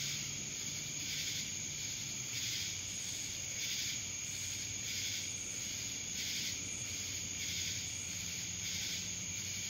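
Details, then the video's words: Cicadas in Dallas, Georgia: a steady, high, shrill drone overlaid with a throbbing wash of buzzing that swells and fades about every second, with no other clear sounds. "Cicadas Black Screen Sounds"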